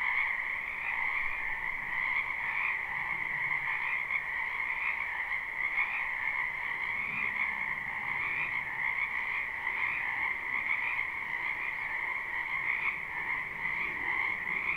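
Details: Croaking frogs fill a spring wetland behind a house, captured live: an even, ceaseless chorus of trilling calls in two steady tones, with a faint low background rumble beneath.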